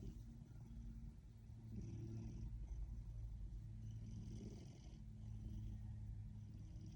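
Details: Happy Ragdoll cat purring: a low, continuous rumbling hum that pulses steadily, with faint soft background hiss.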